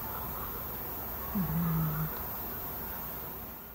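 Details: A sleeping cat snoring: one low, droning snore lasting under a second, dipping briefly then holding steady, over faint steady room hiss.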